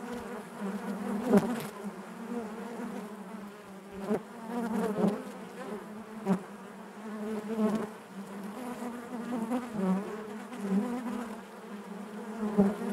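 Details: A hive full of honey bees gives a constant low buzzing, thick with harmonics, broken by brief sharp clicks and louder passing buzzes roughly every one to two seconds.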